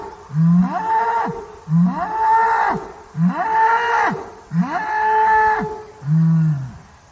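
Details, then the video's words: Short arched lows from a banteng, four in close succession about every second, followed by a deeper, steadier moo closing the sequence. "SUARA HEWAN BANTENG - BEGINILAH SUARANYA YANG AGAK MIRIP SAMA SAPI"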